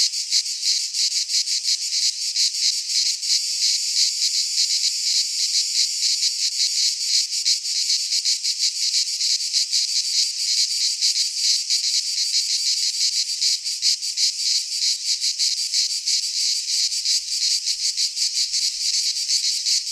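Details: Wall of cicada song in a Greek pine forest at midsummer: sustained sizzling buzz with fast regular pulses, unchanging over twenty seconds, no birds or people.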